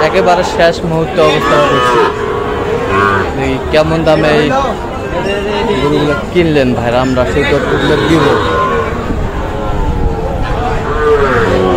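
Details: Cattle of the Sahiwal breed, bull calves purchased by a Kushtia farmer in Bangladesh on Friday 9 June, low repeated moos, some long and wavering, heard through a steady murmur of people talking around the animals.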